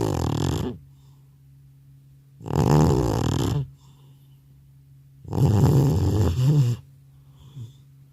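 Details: Elderly pet cat in a multi-cat home, knocked out after a trip to the animal hospital, gives three long, rough, rattling snores, each over a second, separated by quiet pauses over a faint constant background hum.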